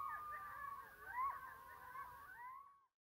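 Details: Several coyotes howl together at night under a waning gibbous moon, in overlapping, wavering yips and sliding wails.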